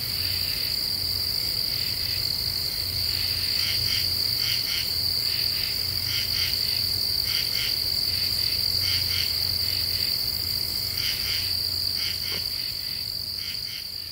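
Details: Common true katydids singing at night in July in an Eastern U.S. deciduous forest; rasping pulsed bursts in short groups of two or three repeat steadily over a continuous high, thin insect drone.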